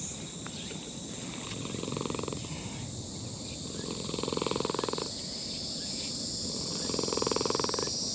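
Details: Elderly brown-and-white cat in a park purring in the throat while a person pets it; rumbling purr comes in three swelling bursts about every two and a half seconds over a constant high insect drone.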